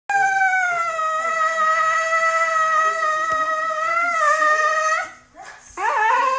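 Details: Siberian Husky howling dramatically for its owner's attention; a long, steady, tonal howl held about five seconds, sliding slightly at the end, then after a brief break a new rising howl begins.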